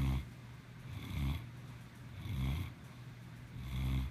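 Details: Snoring cat named Maximus, four low, gravelly snores at an even pace of about one per 1.2 seconds, each a rasping swell of breath with quieter airy pauses between.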